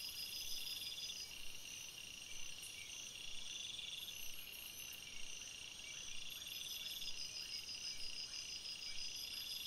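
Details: Crickets chirping at night in a forest: a dense chorus of steady, high, shrill trills layered at several pitches, with some bands pulsing in quick beads and faint soft ticks lower down.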